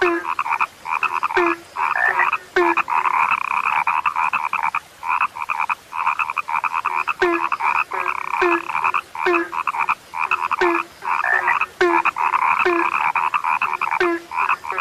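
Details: Frogs, described as now rare, croaking in a dense chorus: banded croaks in rapid runs, broken by short pauses, with lower short notes that drop in pitch recurring every second or so.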